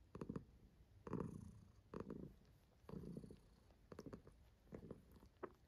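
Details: Pet cat enjoying herself, purring in a low rumble broken into short pulses about once a second, with some soft clicking or rustling between breaths.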